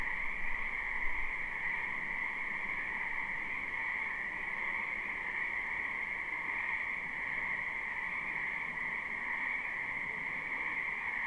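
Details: Spring wetland frogs in a live, unlooped recording: a continuous wall of croaking and trilling that holds two even pitch bands, backed by faint low hum and a brief thump near the start.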